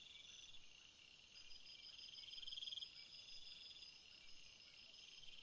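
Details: Nighttime crickets: shrill, finely pulsed trills held at several high pitches, one band swelling to a louder pulsed burst between two and three seconds, with a quiet hissing backdrop.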